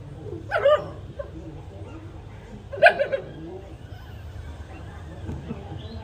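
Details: Two-day-old puppy nursing from its mother; two short, high whimpering yelps about two seconds apart over quiet background noise.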